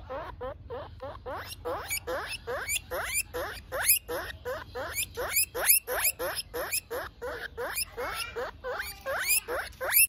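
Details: Pet guinea pig calling out from hunger: loud, shrill rising squeals repeated rapidly, several per second, in an insistent run, with a person's voice briefly at the start.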